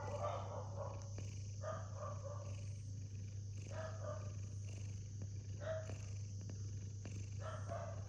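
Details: Sleeping cat snoring contentedly, with rough, nasal breaths repeating about every second and a half in a steady rhythm, some ending in a brief squeaky note, against a constant low hum in the room.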